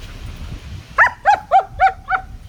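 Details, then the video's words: German Shepherd puppy playing with sticks, giving five evenly spaced, bright barks roughly every quarter second against a low rumbling background. "Smart puppy 👓🐕 loves his sticks"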